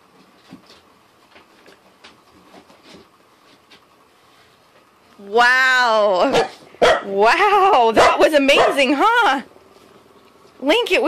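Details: Corgi giving a loud, wavering, harmonic howl-like whine that rises and falls in pitch for about four seconds after a quiet indoor start, then a short break and one more brief cry at the end.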